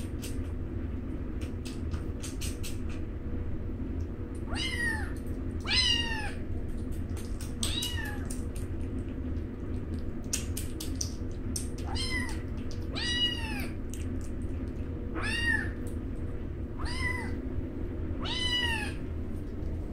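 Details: Newborn rescued alley kittens eating almost as if fighting; repeated short high rising-falling mews about every one to two seconds, with clicking and feeding noises over a steady low hum.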